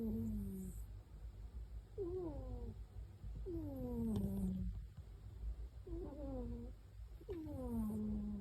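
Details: Sleeping cat snoring with a whistled, falling tone on each breath, repeated roughly every one and a half to two seconds, over a low steady hum.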